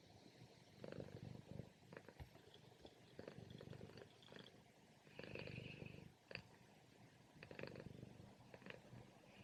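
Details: Domestic cat purring loudly during a morning nap, low rumbling pulses in rough bursts with brief louder breaths between, a faint higher whine around the middle.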